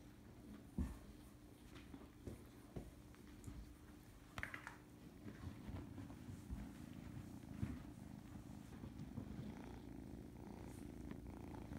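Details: Cat in a home kitten nursery purring continuously, a low even drone lasting the whole stretch, broken by a few light taps and brief handling noises.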